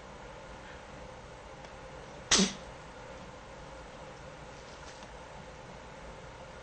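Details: A female guinea pig, adopted at eighteen months old and kept as a pet, gives a single short, sharp sneeze, one loud burst of broadband noise partway through, with quiet indoor room tone before and after.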